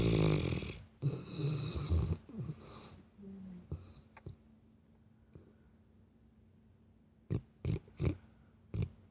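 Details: Labrador Retriever asleep, snoring in a human-like way: several loud, rough, low rumbling snores over the first three seconds, then near silence, then a few short sharp broadband knocks near the end.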